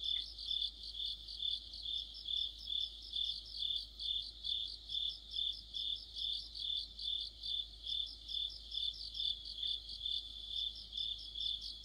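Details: Autumn chorus of crickets with other insects: a steady high ringing trill overlaid by rhythmic pulsing, swelling about twice per second, with faint quicker chirps above, evenly sustained throughout.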